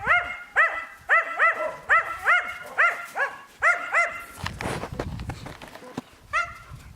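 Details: Yakutian Laika puppies yelping in quick, high, arched cries, several in a row, then a burst of rustling and clatter before one more yelp.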